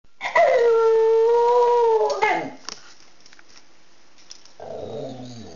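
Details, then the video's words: Pet dog howling in a way described as talking and singing: one long, steady, tonal howl held about two seconds with a slight downward drift, then a quieter pause and a man's low voice near the end. "Talking & Singing Dog"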